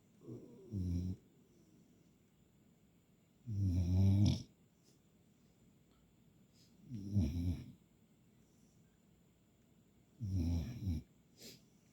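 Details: Puppy asleep, snoring steadily: four deep, rattling snores roughly every three seconds, each close to a second long, separated by near silence.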